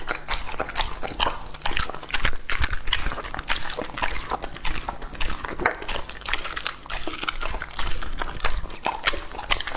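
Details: A pet English-type Labrador Retriever, Lucky, aged two and a half, gnaws raw meat and organ pieces. Continuous close-up crunching, moist smacking and tongue clicks fill the whole stretch.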